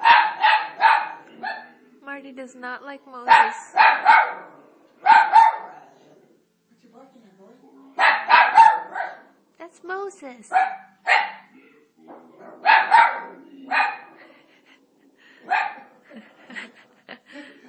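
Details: Italian Greyhound, a male dog indoors, barking at Moses on a TV showing The Ten Commandments; sharp barks come in bursts of two to four, with a man's voice talking to the dog between them.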